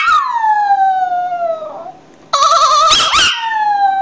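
A Maltese dog gives a high, drawn-out howl that slides downward, then breaks into wavering cries.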